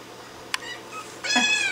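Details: Upset house cat with a hair clip on her tail, freaking out: a sharp click, then a loud, drawn-out harmonic meow rising and holding in the final half second, indoors.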